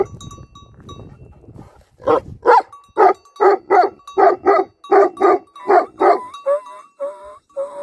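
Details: Livestock guardian dogs giving a run of loud, harsh barks in pairs, about a dozen over several seconds, after a quiet opening; a steady faint tone and a brief whine-like tail at the end.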